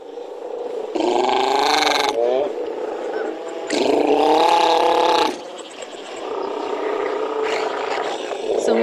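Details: Northern fur seal. Northern fur seals call in loud, drawn-out bawls rich in harmonics, each wavering burst lasting a second or more. A steady hiss runs underneath, and more calls overlap toward the end.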